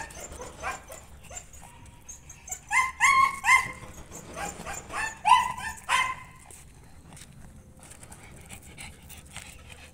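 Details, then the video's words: Aspin dog making noise inside the home: soft background, then two bursts of shrill, rapid yelping barks midway before fading to quiet room noise. "Yong aspin ko sa loob maingay"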